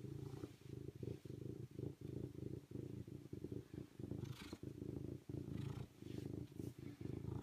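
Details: Serval giving a low, rumbling purr, steady harmonic throbbing broken into bursts of roughly one second by short pauses, with faint breathy rustles above.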